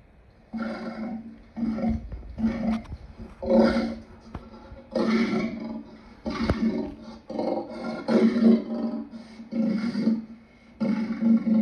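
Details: Lion uttering a run of short, gruff roaring grunts at irregular intervals, mixed with sharp clicks and knocks.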